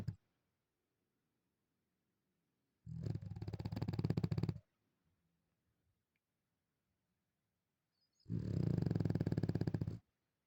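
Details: Bulldog sleeping in bed in the morning, snoring: two loud, rough, pulsed snore bursts, each about one and a half seconds long and roughly five seconds apart, with quiet breathing between them in a small room.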